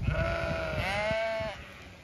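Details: A Zwartbles ewe in a pasture in County Kilkenny, Ireland, gives a long, steady bleat rising slightly midway, expecting to be fed during a field check; soft footsteps and grass noise at the start.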